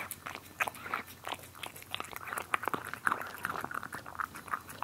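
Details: Cats eating, filmed close up indoors: a steady run of wet, crunchy chewing clicks and soft bites, fairly rapid and irregular, with small smacking sounds between the crunches.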